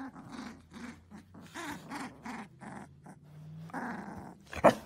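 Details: Siberian Husky indoors, making a run of short grumbling, growly vocal bursts in a talking style, about two per second, each low and throaty with faint harmonics, then a louder drawn-out moan and a sharp final yelp.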